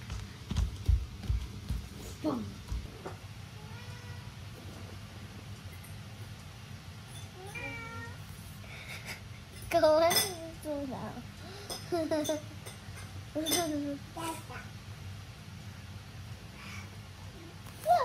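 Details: Norwegian Forest Cat meowing cutely while hugging, indoors: a series of short, rising-then-falling meows, some quick and chirpy, repeated through the stretch, with soft human voice and handling noises underneath.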